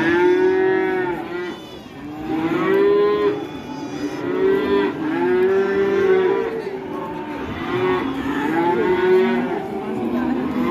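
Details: Loose, agitated cattle bellow almost without pause after being released. Long, strained moos overlap and follow one another, some rising then sagging in pitch, forming a steady chorus of deep, harmonic lowing.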